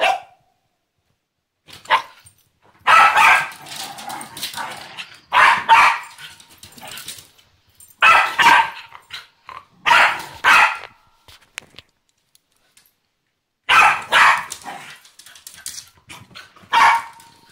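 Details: Whining from Nibbs, a female Pembroke Welsh Corgi eager for laser pointer play. Strained, tonal whines arrive in clustered bursts, several close together, then short silences, roughly eight episodes across the recording.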